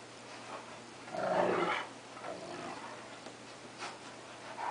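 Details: During rough play between a cocker spaniel and a wolf-Akita mix, one strong rasping growl swells for about half a second, followed by softer grumbles and scuffling noises.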